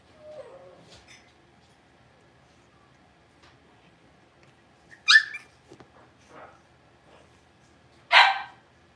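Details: Six-week-old blenheim Cavalier King Charles Spaniel puppies from a litter of five in the Red Barn Cavaliers puppy pen. A soft whimper comes first, then two sharp, loud yapping barks about three seconds apart, with quiet pauses between.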